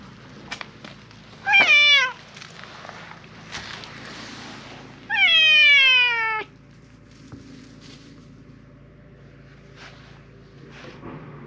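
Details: A silver tabby cat, apparently a park stray, meows loudly as if appealing for something: a short falling meow, then a longer descending one about three seconds later, with faint clicks and background noise between calls.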